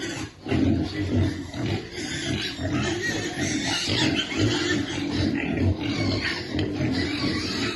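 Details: Baby piglets waiting for their food: steady low grunting and snuffling from several animals, with a few brief higher squeaks over a noisy background.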